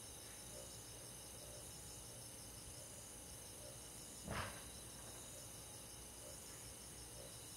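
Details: Summer-night countryside chorus of crickets and forest insects: continuous high, rapidly pulsed trilling in several overlapping bands, broken once just past four seconds by a short dull knock, over a soft low background hum.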